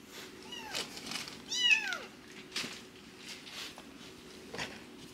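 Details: Rescued foster kittens, sister and brother, in emergency care during toilet training in Japan; two clear descending meows near the start, the second louder with rich harmonics, followed by soft rustling and light indoor noises.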